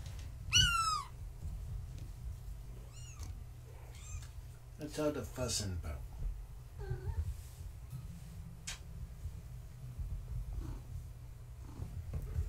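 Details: Indoor bedtime play with Gaia's kittens, born March 14, 2017, one cream male named Maa trying to climb the fence; a loud high meow opens, followed by several shorter mews and squeaks, with a low background hum.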